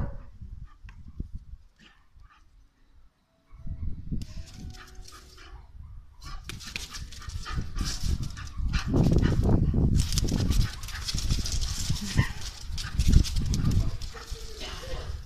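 A Bull Terrier gives deep, rough barks and growly bursts in quick, uneven succession.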